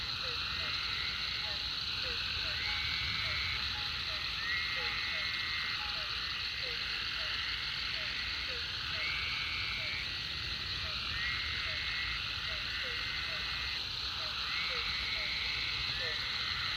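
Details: Frogs calling at the Food Lion pond after a heavy rain: a steady chorus of short upswept chirps repeated several times a second, with longer trilled notes every second or so, over a dense continuous hiss.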